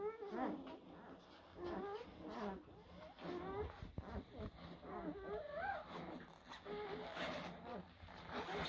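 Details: Young blue Great Dane puppies in a litter whimpering: high, wobbling whines that slide up and down, several pups calling at once in uneven bursts, with a dull thump midway.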